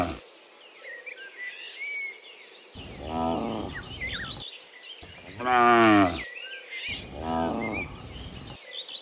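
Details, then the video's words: Afternoon herd of dozens of cows walking from the fields back to the pen: three moos at moderate loudness, the middle one strongest, over steady bird chatter and a background hiss. "Sound Dozens of Moo Cows Walking Home from the Fields to the Pen in the Afternoon, Sound of Cows"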